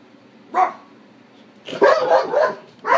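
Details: Malinois dog barking at night, possibly indoors: one sharp bark, then after a pause a rapid burst of four or five loud barks in quick succession, and a final bark at the end. A low steady hum sits beneath.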